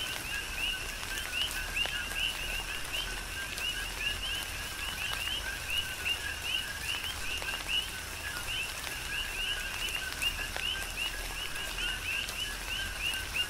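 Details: Numerous coqui frogs on the Big Island of Hawaii calling through a tropical rain shower, each call a brief low note and a rising chirp, repeated in a rhythmic overlapping chorus, with constant rain and louder drip hits.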